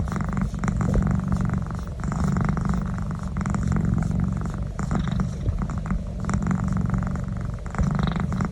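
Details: Cat purring loudly under a neck rub, a thick, low, steady rumble rising and falling in gentle waves as it breathes in and out.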